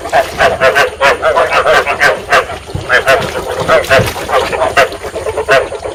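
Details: Rice field frog chorus played as a trap lure to stimulate breeding: rhythmic, throbbing croaks from numerous frogs, overlapping densely with a few sharper clicks standing out.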